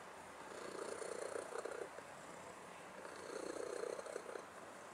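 A domestic cat purrs in soft, rumbling bursts that swell and fade with each breath.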